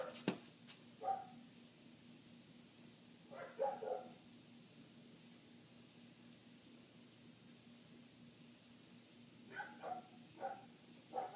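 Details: A neighbour's dog barking nonstop for eight minutes, heard indoors through closed windows: muffled, distant barks in short bursts separated by long quiet gaps, over a steady low hum.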